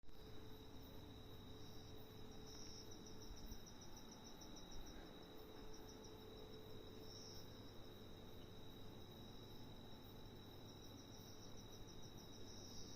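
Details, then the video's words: Giant locust calling: a faint, rapid pulsed buzz high in pitch, running in short bursts over a steady high whine, with a low rumble of background noise throughout. "giant locust making sounds"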